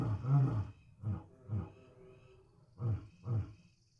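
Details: Lion roaring in its natural habitat: one long, deep, rumbling roar opens, followed by four short, low grunts in two pairs about half a second apart, the sequence fading out quietly.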